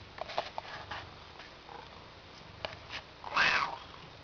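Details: Indoor domestic cat asking for a door to be opened, giving strange non-meow sounds: soft chirpy murmurs early on, then one louder drawn-out wavering call near the end, over faint room noise.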